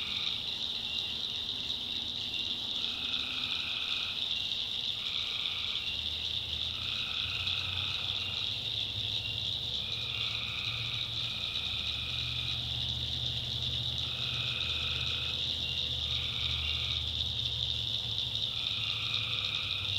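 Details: Backwoods swamp in North Carolina at night, full of tree frogs: a constant high shrill chorus with lower trilled calls of about a second, given in a steady series of roughly a dozen, and a soft low hum.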